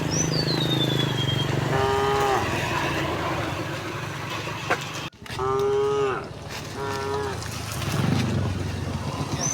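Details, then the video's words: Village cows walking home as a herd on a bright morning. A bird's falling whistle opens, then three separate moos sound: one short, then two close together, over low background rumble. "the sound of cows mooing"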